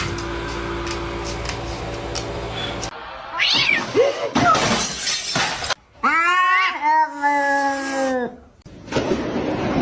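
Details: Cat during a cat fight, after background music and clatter: a long, drawn-out yowl that rises and then wavers, rich and harmonic, followed by harsh hissing noise.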